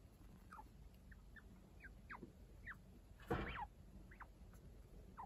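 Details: Domestic chinchilla family indoors, one-week-old kits now lively, cared for by the unrelated adult Kaito. Brief high squeaks drop in pitch, scattered about every half second, with one louder rustling burst midway.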